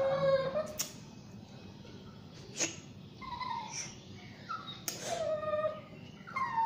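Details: Shih Tzu and Yorkie mix named Basuki being bathed, giving scattered short, thin whines between sharp splashing and rustling bursts in a small indoor room.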